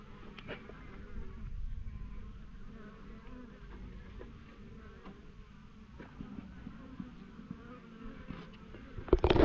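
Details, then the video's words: Swarm of honey bees on a fence during collection by a beekeeper; a low continuous buzzing drone with scattered clicks and knocks, growing louder with a sharp burst of handling noise at the end. "Honey bee swarm on a fence"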